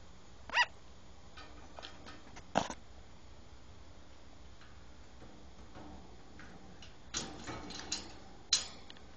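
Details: A platinum sugar glider gives a few sharp, high, yapping barks separated by quiet pauses.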